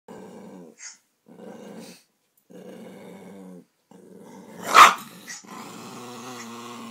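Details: Puppy indoors, scared by a big dog shown on a computer, with low rumbling growls in several stretches lasting about a second each, broken by short pauses, then one sharp loud bark near the end, followed by continuing noisy growling.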